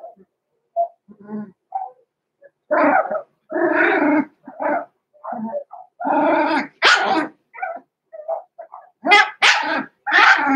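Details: Two blenheim Cavalier King Charles Spaniel puppies, Roman and Blue, aged six weeks, in a home puppy pen: scattered small yips build into loud, harsh barks and rough growly bursts, with several shrill, bright yelps toward the end.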